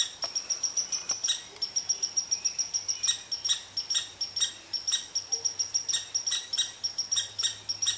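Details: Red squirrel scolding an Eastern Cottontail that chose to rest under its favorite tree. Fast repeated high pips run continuously, with harsh broadband bursts interspersed throughout.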